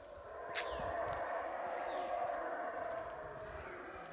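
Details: Wild howler monkeys in Guatemalan Central American jungle give a deep, rasping, sustained roar that rolls on without a break.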